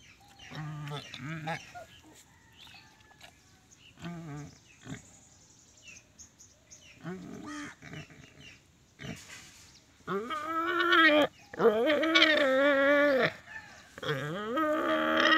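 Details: Angry pig giving long, loud harmonic squealing calls that rise and bend in pitch, mostly bunched in the second half; quieter short calls and some background voices earlier.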